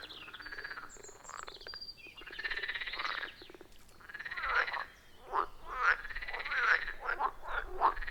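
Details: A chorus of frogs at a wild forest pond gives harsh, rattling croaks in irregular bursts, some drawn out and some clipped short. The calls overlap and trade off, with no other sounds standing out.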